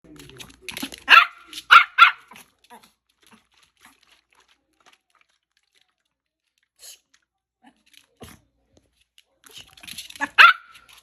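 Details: Pet dog barking indoors in a small room: three sharp barks close together, then near silence with faint knocks, and another burst of barking near the end.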